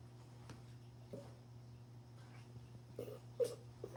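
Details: Nine-month-old female Frenchie pug (frug) puppy entertaining herself indoors, playing alone with a ball, recorded 9/6/2025; short nasal whiny grunts and whimpers come in brief bursts, four or so across the clip, over a steady low electrical hum.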